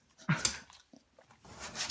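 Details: A Beagle barking in its sleep while dreaming indoors: one short muffled woof followed by faint whimpering breaths.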